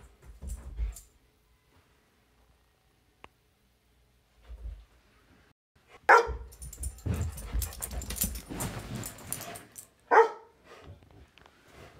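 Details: A black Labrador Retriever stands watching a Weimaraner's indoor zoomies and gives sharp, loud barks spaced several seconds apart amid scuffling noise.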